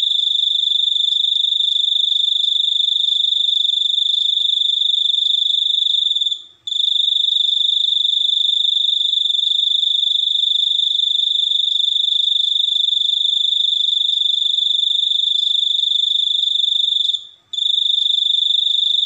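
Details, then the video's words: Long, shrill, evenly pulsed cricket trill at a constant high pitch, interrupted by two brief gaps around six and seventeen seconds, each followed by an immediate restart. "suara jangkrik super unik"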